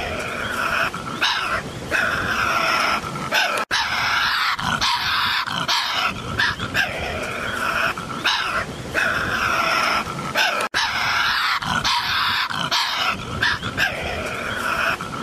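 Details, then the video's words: Continuous coarse snarling and screeching from a Tasmanian devil, the rough wails pulsing in uneven bursts with brief dips. "Sonido diablo de tasmania Tasmanian Devil sound"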